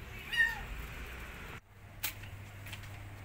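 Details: A single short, arched meow from a rescued kitten that fears a giant rabbit, then a quiet pause and a faint click.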